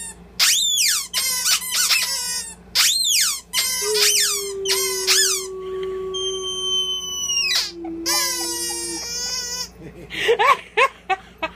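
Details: A Boxer holding his lion squeaky toy gives a long, steady, wolf-like wavering howl between bursts of sharp squeaky-toy squeals.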